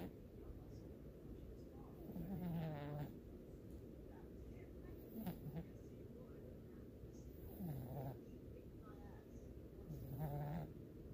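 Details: An 11-year-old cat snoring while asleep, with soft low rasping breaths repeated in slow pulses against a quiet background hiss.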